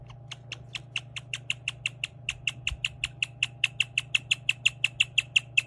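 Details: Pet guinea pig chirping, a rare sound easily mistaken for a bird. Clear, bird-like chirps repeat steadily about three times a second, with a short break partway through, over a low steady hum.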